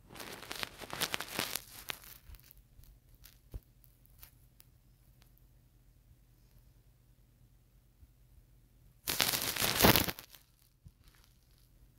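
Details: A quiet indoor room with scattered soft crackles and rustles, then a loud burst of crinkling noise near the end, and no animal voice.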